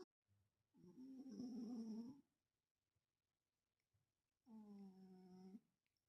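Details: Domestic cat snoring while asleep and dreaming indoors: two drawn-out, buzzy, tonal snores about a second long, steady low pitch with stacked overtones, separated by a quiet pause; faint high hum throughout.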